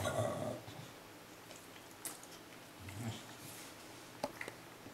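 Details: A male English Bulldog eating an ice cream cone, a favorite and rare treat, gives a short, throaty snorting grunt followed by wet smacking and licking sounds.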